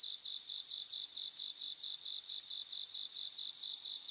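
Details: Bell crickets singing in a grassland in Japan, several high, bright ringing trills pulsing rapidly, with steady high-pitched chorus layers from other insects behind.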